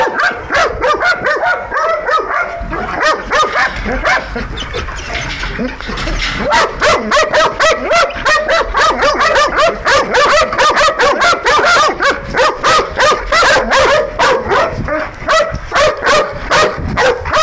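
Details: Belgian Malinois guard dogs at an industrial site in Nauplion, Greece, which recognise no one but their handler, barking in a rapid, frantic volley of several overlapping voices, over three barks a second, with a man calling out in Greek.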